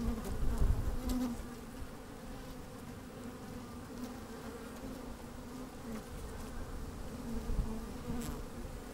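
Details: Working honey bees in an opened beehive on a fine, slightly windy day, with the microphone slid down inside: a steady low hum with a short louder buzz near one second, plus deep thumping bumps at the start and near seven seconds.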